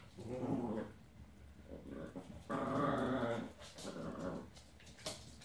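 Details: Ten-week-old Old English Sheepdog puppy playing with other dogs indoors, giving low rumbling growls in several bursts, one long growl near the middle, ending with a sharp click.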